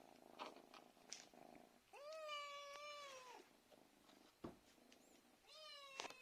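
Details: House cat meowing for food in the evening: one long, level, harmonic-rich meow lasting over a second, a pause with faint purring and a sharp knock, then a second meow.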